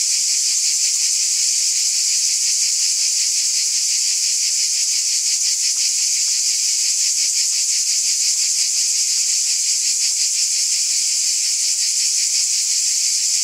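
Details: A summer-night cicada chorus forms a continuous shrill wall of sound, faintly throbbing at under three pulses per second and holding an even volume, with nothing else audible.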